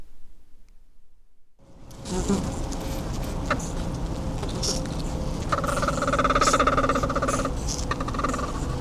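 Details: Honey bees inside a hive at an apiary make social calls: after a moment of silence, a dense droning buzz rises, with a run of rapid pulsed tonal notes in the middle and scattered knocks against the frames.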